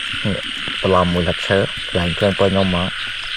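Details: Frogs in Cambodian rice fields during a frog hunt: loud, harmonic croaks in quick bursts of rapid pulses, several rattling calls back to back, over a steady high insect-like hum and a man's voice.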